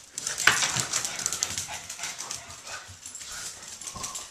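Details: Two Boston Terriers playing, play-fighting and chasing each other around the house give quick, high whines and yips amid scuffling and panting.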